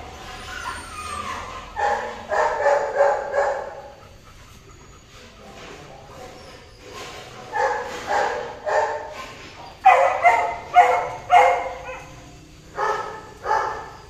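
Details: Golden retriever mating, with bursts of rapid yipping whimpers in clusters, separated by quiet pauses, rising into a sharper run of high cries near the end.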